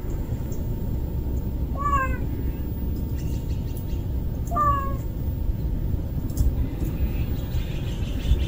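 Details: Kitten that cannot live without its mother, likely a street cat, giving two short, high meows about three seconds apart, each bending downward, over a steady low rumble of traffic noise.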